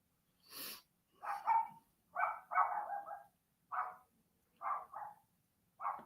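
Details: Dog howling outside during a live stream: a string of short, tonal yowling bursts, each under a second, repeated roughly every second over six seconds. A sharp click sounds at the start.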